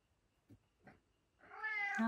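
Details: Pet cat eating dinner indoors: two soft clicks, then a loud, drawn-out harmonic meow rising and holding steady over the last half second, in a small quiet room.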